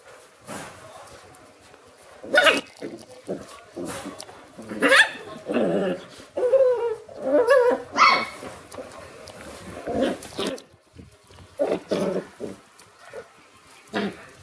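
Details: Shiba Inu puppies in the morning, giving a run of short, sharp yelping barks mixed with high whining whimpers, in uneven bursts about every couple of seconds with brief quiet gaps between.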